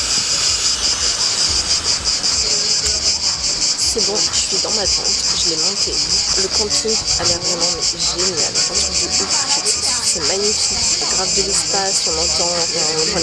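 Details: Crickets chirping at a campsite in Greece while a tent is being set up: a dense, steady high-pitched trill with rapid pulsing runs throughout, and a woman's voice talks over it.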